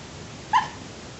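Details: Dreaming puppy gives one short, sharp, high-pitched yip, a single clipped squeak in the middle of a quiet, faintly hissing background.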